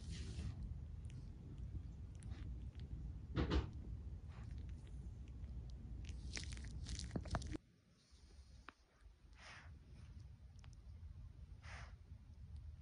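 A Maltese dog makes soft, wet sucking and smacking sounds, with a few sharper clicks.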